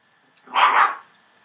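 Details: Entlebucher Mountain Dog puppy, 24 days old, from a litter born 28 December 2013, letting out a single loud, rough, half-second bark with a slight double peak, over a low background hum.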